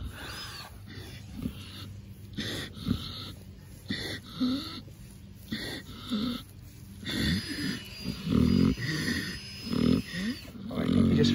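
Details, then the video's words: Pig named Ms Piggy drifting off to sleep under scratches, giving wheezy snoring breaths about every 1.3 seconds, with deeper, louder grunting snorts building toward the end and scratching rustles throughout. "Putting ms Piggy to sleep with scratches (snoring pig)"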